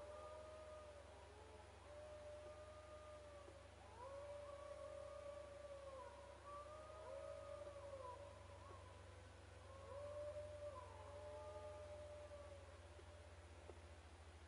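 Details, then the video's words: Wild dogs howling at a camp: several long, drawn-out tonal howls overlap, rising and falling and bending in pitch, over a constant low droning hum. "Wild dogs howling at camp"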